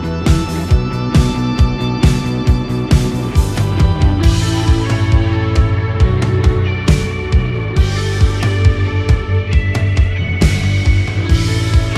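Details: Rock music with driving guitar and drums plays throughout, with no animal sounds heard.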